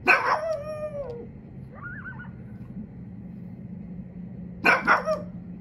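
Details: A domestic pug barks from a home's back deck toward coyotes in the trees, telling them to leave: a drawn-out bark falling in pitch, a brief faint high wavering yelp, then another double bark after a quiet gap.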